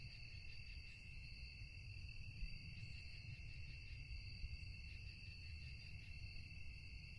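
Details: Steady nocturnal cricket chirping: layered shrill trills with a gently pulsing, rippling quality run without pause over a strong low-frequency rumble.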